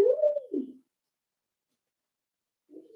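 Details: Daisy's 4-week-old Cavalier King Charles Spaniel puppies in their indoor pen: a single clear tonal whine that arches up, holds, then slides down and fades, followed after a pause by a short, quieter whimper.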